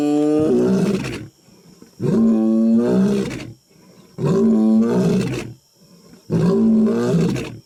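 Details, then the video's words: Huge lion recorded up close, roaring and making weird noises: four long, deep, moaning bursts of about a second each, separated by short pauses and repeated roughly every two seconds. "HUGE LION UP CLOSE ROARING - MAKING WEIRD NOISES"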